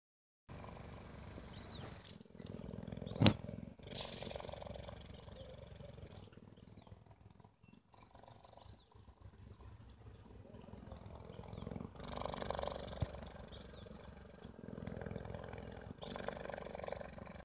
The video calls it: The purr of a cheetah ♡☆♡